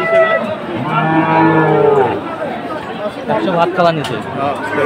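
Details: Cattle market in Chattogram, Bangladesh, on 7 September 2024, where Sahiwal bulls are sold: a steady, low moo held for over a second, followed by overlapping voices and crowd bustle.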